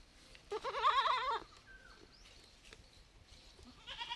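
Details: Baby goat from village life giving one loud, shaky, wavering bleat lasting about a second, followed by quiet rustling and the start of another cry.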